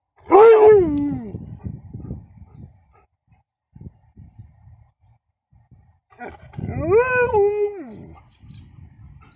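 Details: Female Alaskan Malamute, excited at seeing other dogs and vocalising to get their attention, gives two drawn-out, wavering howl-like yowls about six seconds apart, each rising then sliding down. Faint rustling and quiet background noise fill the gap between them.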